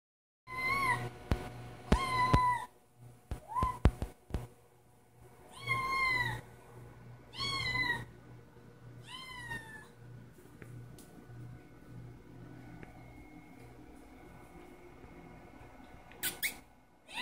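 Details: A male kitten waiting for his breakfast gives a series of high, thin meows, each bending up then down, against a low hum.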